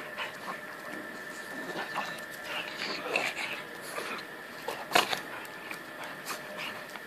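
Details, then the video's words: Pair of 11-month-old male pugs in a wrestling play bout, giving short snorting grunts and huffs in quick clusters, with a loud sharp knock about two-thirds through and a constant low hum behind. "Pug vs Pug - Wrestling masters"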